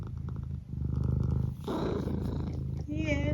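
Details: Domestic cat named Eric purring continuously in a deep, fast pulsing drone, with a short tonal chirp near the end and a woman's affectionate talk overlapping.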